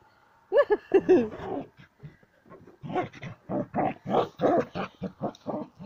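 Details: Sam the Border Collie, playing with a ball, makes a rapid string of short grunting, growly yelps, several per second, starting with a few higher whiny notes; a person talks softly in the background.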